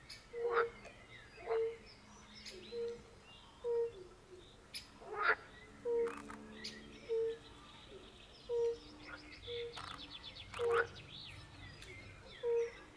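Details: European fire-bellied toads calling in a chorus by a forest pond: soft, low, pure 'oop' notes repeated roughly once a second. Louder, harsher bursts from pool frogs break in several times.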